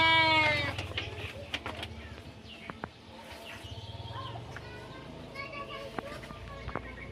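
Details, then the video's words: Garut sheep out on a herding walk: one loud, harmonic bleat opens the recording and breaks off within a second, then fainter calls and voices follow over a steady low hum. "Ngangon Domba Garut"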